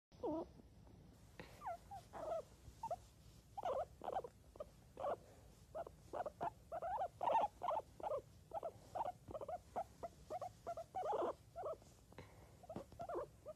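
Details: Guinea pig giving a long run of short, squeaky calls, about two to three each second, mostly mid-pitched, with a few quick rising chirps mixed in, over soft rustling.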